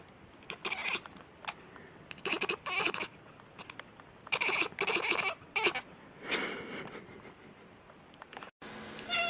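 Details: Kittens meowing in a compilation of domestic cats: short, high, bright cries in quick bursts, several overlapping, with brief pauses between, ending in a sudden cut to a different noisy sound.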